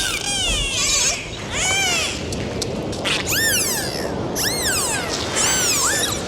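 Dolphin whistles, high arching tones that rise and fall, repeated about once a second over hissing water.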